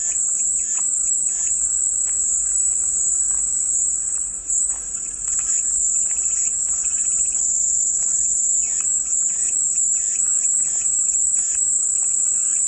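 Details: Steady, piercing cicada buzz sustained for the whole stretch, a dense high whine overlaid by faint intermittent chirping and ticks in the background.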